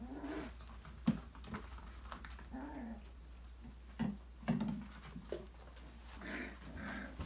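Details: Five-week-old Australian Labradoodle puppies from a December 2020 litter playing indoors in an enrichment playground, giving soft play growls, short grunts and whimpering calls, with light patter and clicks of paws on the floor.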